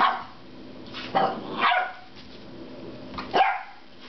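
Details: Ten-week-old puppy Loki vents frustration at his rubber squeaky pig with three short, yappy barks spaced about a second apart, each rising then falling, between quieter stretches.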